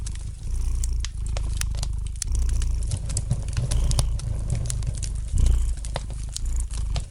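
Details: A domestic cat purrs softly next to a crackling fireplace, its low vibrating drone steady and unbroken, rising to a stronger swell late on, with irregular sharp snaps of fire peppering the background.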